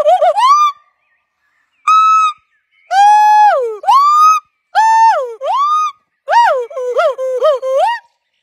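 Golden snub-nosed monkey giving loud, clear, whistle-like calls that dip and rise, delivered in separated bursts.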